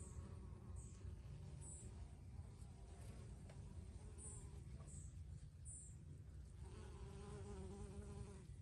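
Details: Bees buzzing among basil blossom, a low steady droning hum with a wavering tone that grows stronger near the end, over a constant low rumble, with faint brief high chirps in the background.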